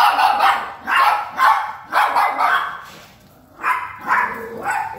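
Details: An unsure Yorkshire Terrier barks in a steady series of short, high, yappy barks, roughly two per second, with a brief pause before the barking resumes.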